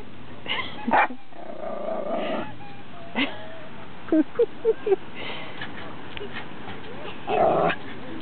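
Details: A Schipperke barks at a goose while his owners fish, giving short, sharp yips and barks in scattered bursts, with a louder bark near the end.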